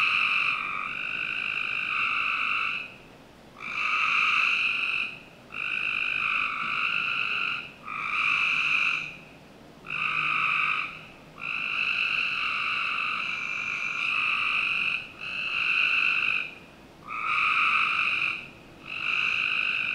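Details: Summer night chorus of frogs in a backyard in Northern Virginia, with rough trilled calls of one to two seconds following one another closely, separated by brief gaps, against a quiet background.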